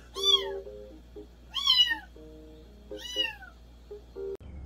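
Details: Cat meows meant to drive off countryside rats: three loud, falling meows spaced about a second and a half apart, over low steady tones and a constant hum.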